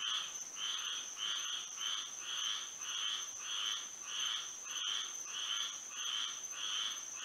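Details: Frogs singing at night under moonlight in Florida: evenly spaced nasal, buzzy croaks repeated about every half second, overlapping in a steady chorus, with a constant high insect-like whine running beneath.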